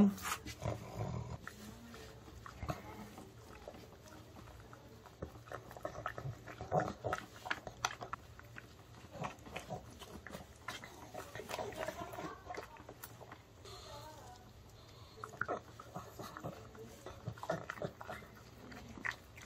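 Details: Pug puppies, including a male Pug born September 2015, chomp and lick loudly at homemade dog-safe chicken, with wet smacking bursts and soft snorts, while the owner quietly gives wait, sit and paw commands.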